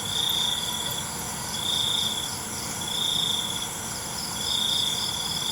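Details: Night crickets in a relaxing nature recording: high, steady trilled bursts about a second long, repeated roughly every one and a half seconds, over a dense, continuous wash of shrill insect buzzing.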